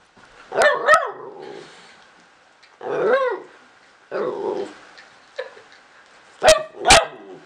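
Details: Domestic dog trying to make a new friend, giving short sharp barks and yips near the start and end, with longer whining, growly vocal bursts in between, separated by quiet gaps.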